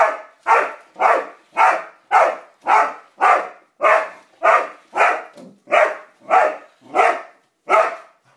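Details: ['Steady volley of about thirteen sharp barks, close to two per second, from Roxy the dog as she confronts a yellow toy car she seems not to like.']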